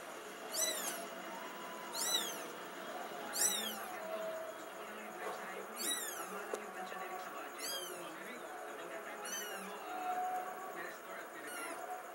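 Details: Kittens giving high, arched mewing calls, each rising then falling, repeated roughly every one and a half to two seconds over a low constant background hum.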